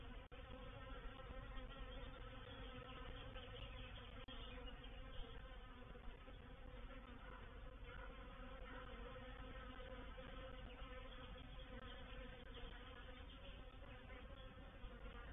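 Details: Honey bees of a reproductive swarm entering a swarm trap at Painted Peacock Manor, 04/07/21, make a thick continuous drone, low and banded, holding level with only faint flickers of individual wingbeats.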